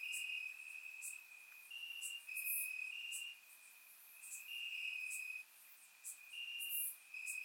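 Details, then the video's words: In Bulgaria on a warm summer night, crickets chirp in the grass, recorded in surround: a constant high trill rising in intensity in waves, dotted with crisp short chirps from further insects. "Cricket Sounds - Crickets Chirping at Night"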